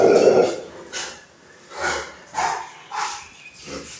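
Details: A Rottweiler guarding barks in harsh, deep bursts. A loud opening bark is followed by five more, spaced roughly half a second to a second apart, each with a rough, growly edge.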